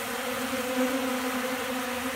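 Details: Hungry honey bees feeding from a hand on December 29th, about 70 degrees: a steady, low droning hum with a clear pitch and overtones, continuous and even throughout.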